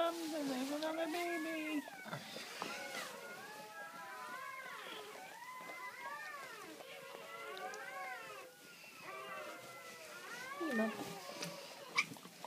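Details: Great Pyrenees puppies crying during their mother's labour; a low human voice opens, then many arched, squeaky newborn wails overlap, fading briefly near the middle before resuming.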